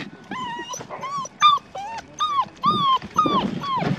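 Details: Six-week-old red tri female Australian Shepherd puppy whimpering: a run of about ten high, thin whines, each a short arched or falling whistle-like note, closely spaced with brief gaps, and faint low background rumble.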